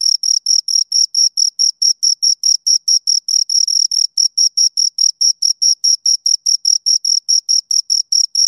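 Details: Two crickets chirp continuously in quick, even, high-pitched pulses, about two and a half per second, each chirp a brief scraping burst with a faint upper tone, no other sounds present.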